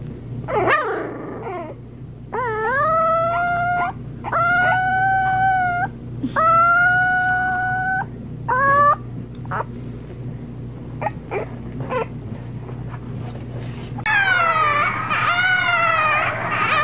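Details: Puppies learning to howl: a series of wavering, tonal howls of a second or more each, some rising then falling, broken by short yips, ending in a higher quavering howl; a steady low hum underneath.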